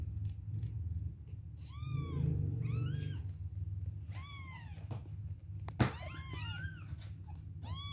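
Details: Two-week-old kittens crying at milk time: thin, rising-and-falling mews, some quick and overlapping, heard over a steady low hum and a sharp knock.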